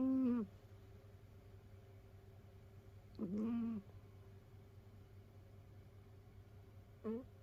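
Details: A sleeping indoor cat, rescued from an overcrowded multi-cat household, snores in short whistled peeps that dip in pitch, three breaths spaced about three seconds apart, quiet hum between.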